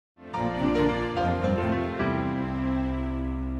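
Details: Soft, tender instrumental music begins after a brief silence and carries on steadily, with no animal heard.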